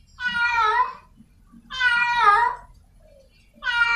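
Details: Wild cat in heat seeking a partner, giving long, strained, wavering meows of nearly a second each, separated by pauses of about a second, against a quiet background.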